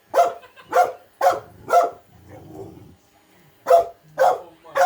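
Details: Small female dog, afraid of an automatic robot vacuum, running from it and barking: sharp, loud barks in a quick series, four spaced about half a second apart, a low rumble, then three more barks.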